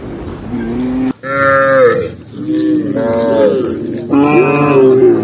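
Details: A tame cow walking through a green forest gives a run of long, drawn-out moos, rich and harmonic, each sliding down or bending in pitch, four calls with short pauses between them.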